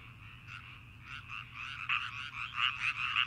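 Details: Frogs chirping in Azumino: quick pulsed, buzzy chirps repeat roughly twice a second, growing louder and denser toward the end, over a low steady hum.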